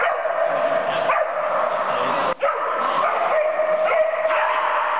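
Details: Fierce play from Percy the puppy, a continuous high, rasping whine-growl holding a fairly steady pitch, broken by a short sharp gap midway.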